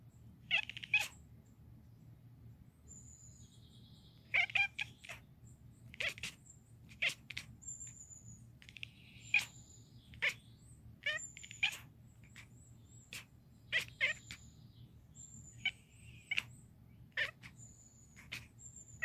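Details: Chiroru, a young male Scottish Fold cat kept indoors, chattering nonstop while watching a screen: short sharp clicking bursts, often in quick pairs or triplets, coming about every second, over faint thin high whistles and a low steady hum.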